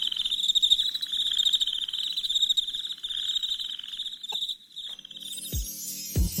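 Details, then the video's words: Night crickets give a high, fast pulsed chirping for about four and a half seconds. It then drops away, replaced by a tonal, music-like sound and a couple of sharp low thumps. "Soothing Crickets Chirping Sounds"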